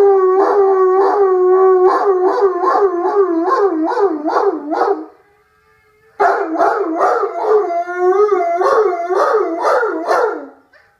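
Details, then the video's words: Lazy howling from an Irish Wolfhound, long harmonic tones broken into rapid wavering pulses, several seconds of sustained yodel-like wailing, a brief silence, then another extended wobbling howl fading out at the end. "Irish wolfhound lazy howl"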